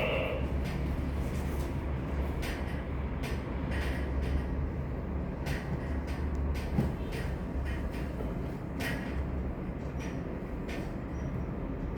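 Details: Steady low rumbling noise broken by sharp broadband clicks and knocks, with no animal call.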